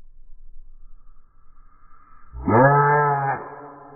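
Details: American bullfrog screaming in defence against a phone. A faint whine comes first, then one loud, drawn-out, nasal scream lasts about a second and fades into a thin tone. Low rustling handling noise is heard.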